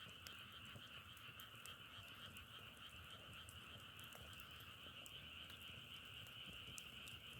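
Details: Steady massed croaking of frogs, quick pulses merging into a continuous trilling hum at two pitches, punctuated by loud pops and snaps of burning firewood.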